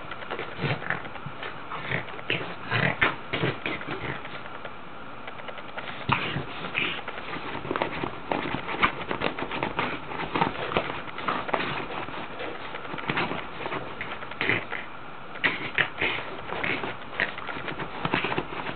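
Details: Female Boston Terrier named Ax rolling and playing in her bed at home; repeated nasal snorts, sniffs and oink-like grunts mix with continuous scratching and rustling of bedding throughout.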